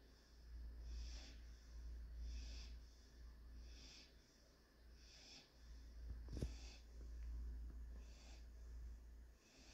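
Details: Daily nap of Panzer, a German Shorthaired Pointer puppy, recorded Tuesday 2/9/21. Regular breathy snore-snorts come about every 1.3 seconds. One sharp click sounds midway, and a low hum persists throughout.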